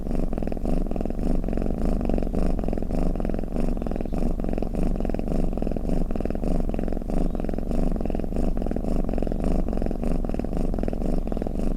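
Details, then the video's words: Low, continuous rumbling of a snoring, purring house cat, the throaty vibration rising and falling in quick regular pulses throughout, heard up close in quiet surroundings. "เสียงแมวคราง เสียงกรนของแมว | snoring cat"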